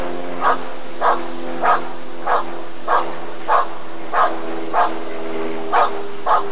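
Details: Rottweiler at the 1994 ADRK Körung breed survey, giving a steady run of short, deep, punchy barks about one every 0.6 seconds, roughly eleven in all, over a low background hum.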